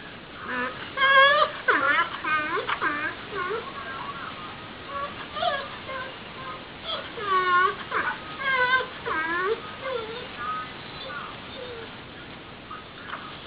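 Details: A pet dog "sings" along to the Jeopardy! theme, howling in wavering, bending notes that rise and fall in short mournful phrases.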